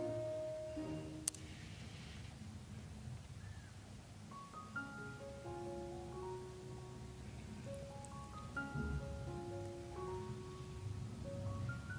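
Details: Gentle marimba or xylophone melody of short plucked notes over a soft low hum, with no animal voices.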